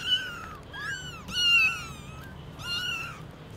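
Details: Longer, drawn-out mewing calls, three or four held notes that bend gently downward, from the newborn kittens and mother cat at Lucky Paws as the kittens, eyes newly open, first see her.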